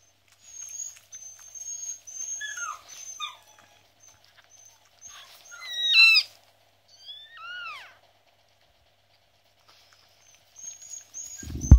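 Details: Newborn Miniature Schnauzer puppies, recorded during whelping on 10/7/15, give thin, high squeaks that slide downward in short irregular bursts.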